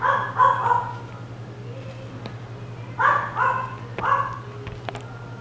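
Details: Chihuahua giving short yapping barks in clusters, three quick barks at the start, then more around three and four seconds, over a steady low electrical hum.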